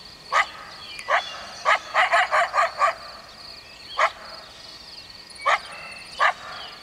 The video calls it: coyote barking